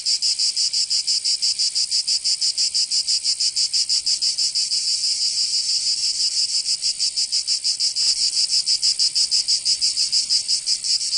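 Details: Cicadas singing in summer in Provence, southern France: a loud, dense, high buzzing chorus pulsing in rapid regular beats, about three per second, steady throughout with no other sounds.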